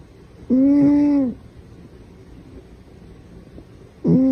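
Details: House cat in a funny pet compilation, one clear drawn-out meow lasting under a second, then quiet room noise, and the start of a second meow at the very end.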